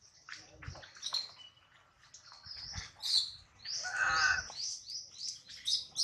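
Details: Hungry baby monkey Adler, missing his mother and held in a small monkey's hands, gives high whistled squeals that rise and fall, with one louder wavering wail midway and low handling thumps.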